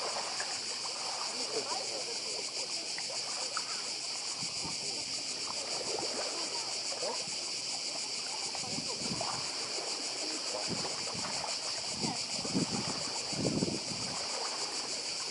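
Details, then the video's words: Continuous shrill cicada chorus on Badija island, Croatia, pulsing without pause, with sea surf and splashing water rising and falling beneath. "Cykady i szum morza w Chorwacji"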